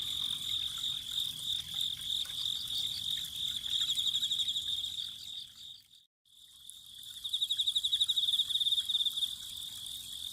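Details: Autumn insects trilling beside a spring: a steady high pulsed chorus that drops out to a moment of silence midway, then returns louder with fast, distinct chirp pulses over faint water sound.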